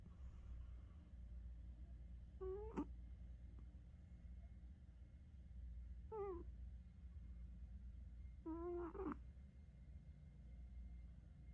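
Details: Sleeping domestic cat snoring, its snores shifting freely from low to high pitch; three short whistled, tonal snore notes rich in overtones, each briefly rising or bending, spaced roughly three seconds apart over a steady low indoor hum.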